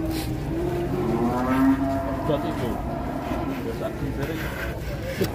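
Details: A jumbo cow, restrained while its nose rope is being changed, gives a drawn-out, tonal low moo that holds steady and then fades, under a steady mechanical hum and the talk of men working around it.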